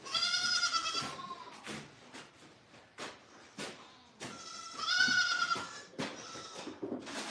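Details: Goat at The Willful Goat Farm & Home giving two loud, quavering, nasal bleats about four seconds apart, each near a second long, with scattered knocks and clicks and a soft wavering cry in between.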